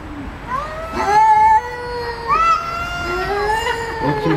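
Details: Kittens mewing: a series of three or four clear, high, wavering meows, each rising then sliding down, about one per second, loud and close with little else in the background.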